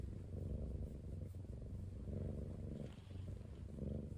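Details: Ten-month-old male British Shorthair house cat on a diet; continuous deep rumbling purr, swelling and fading in slow waves, with no other sounds.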